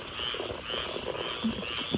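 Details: Frogs calling in Florida during Hurricane Debby around a flooded property in strong wind: short, high, scratchy notes repeated roughly twice a second over a steady hiss of wind and rain, with lower muffled knocks underneath.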